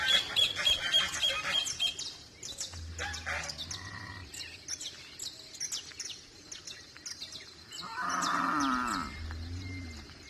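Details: Farm cow lowing amid busy birdsong, with a short, deep rumbling moo in the middle and, near the end, a louder, fuller moo lasting about a second, while small birds chirp and trill throughout.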